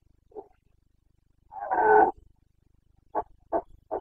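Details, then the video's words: Wild Carpathian red deer stag roaring in the Bucovina mountains during the breeding season, 29 September 2022: one brief low grunt, then a long rough harmonic bellow near one second, followed by three short, evenly spaced barking grunts. "Boncănit / Carpathian stag Breeding season"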